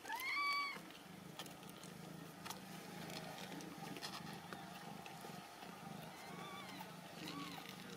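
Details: Ragdoll kittens raised indoors without cages at a home cattery in central Kansas; a clear, high, wavering meow near the start, then softer faint mews later over a steady background hum.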